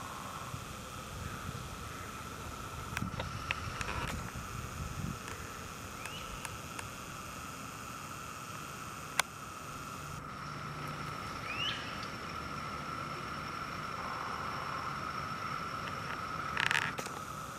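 Cicadas hold a steady, unbroken drone at one pitch, with a few faint bird chirps.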